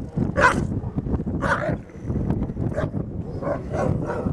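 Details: Grey wolf pack at The Wild Animal Sanctuary, the alpha wolf keeping the other wolves out of the den; short harsh barks and yelps in bursts about a second apart over low rumbling background noise.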